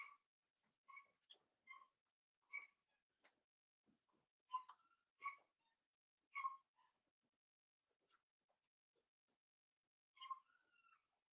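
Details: Indoor pen of five 7-week-old blenheim Cavalier King Charles Spaniel puppies: repeated plaintive whimpers, each a short tonal squeak, arriving irregularly over several seconds, then a lull before one more cry near the end.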